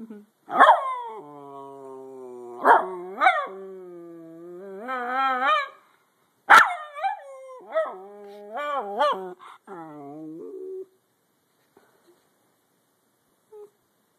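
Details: Schnauzer dog singing a sad song: sharp barks open bursts of long, wavering harmonic howls that rise and fall, several drawn-out notes between about one and ten seconds, then quiet.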